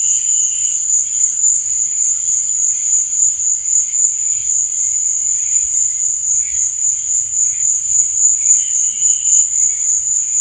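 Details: Nocturnal crickets giving a constant, very high buzzing trill with a rhythmic throb in volume; quieter lower chirrups appear briefly near the start and end.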